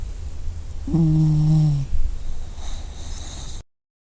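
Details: A dog snores in its sleep, giving one low, steady, humming snore of about a second, followed by softer breathy rustling before the sound cuts off.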